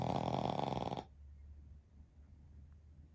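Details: Pekingese x Shih Tzu mix dogs, a family of three sleeping together at nap time, with one giving a loud, buzzy, rattling snore lasting about one second with a rapid pulsing texture, then quiet breathing in a still room.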